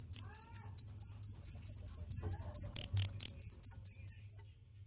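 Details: High, ringing cricket chirps repeated rapidly, around four per second, stopping abruptly just before the end, over a quiet low background murmur.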